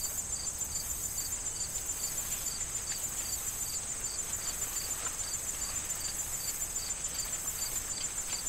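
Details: Crickets calling in a corn field in fall, with wind and rustling corn stalks; evenly spaced high chirps, a little over two per second, ride over a continuous shrill insect drone.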